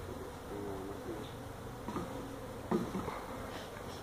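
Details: Feral honey bees nesting in a tractor tire at a Mission, Texas citrus orchard, during removal: low, constant hum of the colony with brief higher whines of passing bees and a sharp knock near the end.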